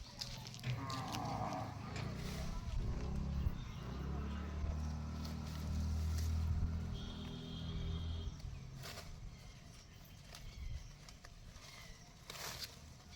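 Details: A cow gives a long, deep, drawn-out moo lasting about six seconds, steady and low-pitched, over outdoor background noise with some faint higher clicks.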